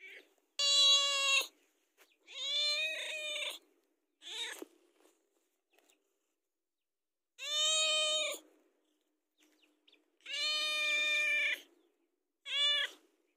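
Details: Domestic cat begging for food before feeding time: a run of loud, rich meows of varying length, some rising then falling, with brief quieter sounds and pauses between them.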